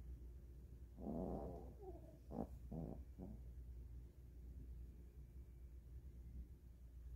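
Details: Sleeping Maltese dog, full after eating, curled up on a blanket indoors; one rasping snore followed by several short snorty breaths, then quiet breathing over a low background hum.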